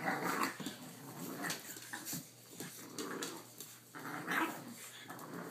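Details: Indoor play between Boston Terrier sire Primo and his pups, blue 3-month-old Briar plus 5.5-week-old Vdara and Asher, caught on a cell phone; near-continuous playful growling, rising and falling in loud waves.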